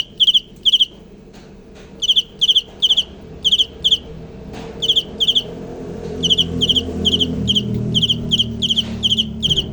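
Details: Cricket giving bright, high chirps in short clusters of two or three, separated by gaps of silence, over a low rumbling background hum that grows louder toward the end.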